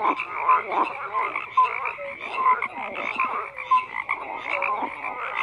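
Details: Several frogs croak together in a dense overlapping chorus, pulsed rasping notes stacked with short tonal blips, the calls rising and falling in loudness about once a second with no other sounds.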